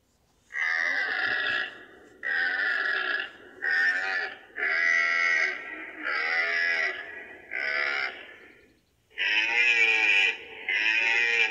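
A deer gives a run of loud, nasal, raspy bleats, each about a second long.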